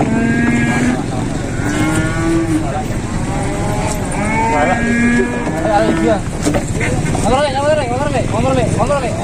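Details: Big cattle unloaded from a modified livestock truck near Klaten, Indonesia: several overlapping moos, some wavering and wobbling in pitch near the end, mixed with vehicle noise and voices.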